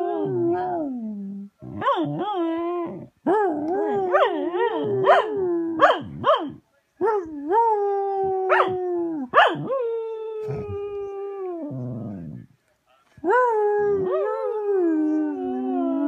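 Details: A female Cocker Spaniel, watching a video of another cocker spaniel, gives drawn-out, mid-pitched, wavering howls mixed with quick yips, some holding steady before dropping into a long falling moan.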